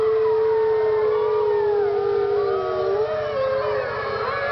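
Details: Wolves howling together at Parc Oméga, 7 March 2013: one long level howl held throughout, layered over many higher wavering voices in a dense chorus.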